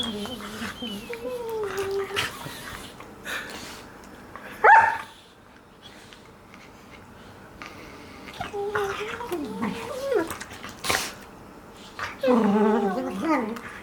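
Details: Two five-month-old golden retriever puppies playing together, with an adult golden retriever sleeping nearby: sliding high whines and whimpers come in bursts, broken by short yelps and grumbling growls, with a human voice briefly in the background.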